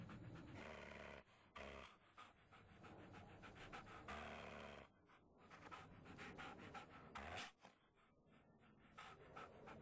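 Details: Puppy suffering from shaking puppy syndrome breathes in rapid, rasping pants, a continuous stream of airy pulses interrupted by several short gaps.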